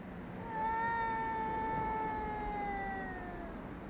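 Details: Cat yowling toward another cat, filmed on 3 Av 5785 from 6:01 to 6:04 summer time; a single steady, sustained moaning wail holding one pitch for about three seconds, then slowly fading, with low rumbling background noise.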